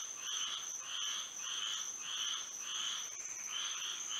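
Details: Moonlit Florida night with frogs singing: short raspy croaking pulses repeating roughly twice per second against an unbroken high whine.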